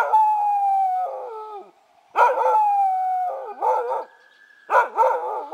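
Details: Keeshond named Oscar howling in answer to passing sirens: three bouts, each opening with a long steady mournful tone that breaks into wobbling, yodel-like notes, separated by short silences.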